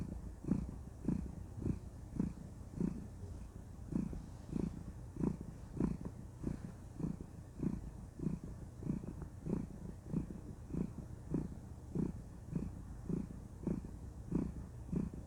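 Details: Cuddled female cat purring contentedly indoors, a long low vibrating rumble pulsing evenly with each breath, nearly a hundred pulses a minute, nothing else audible.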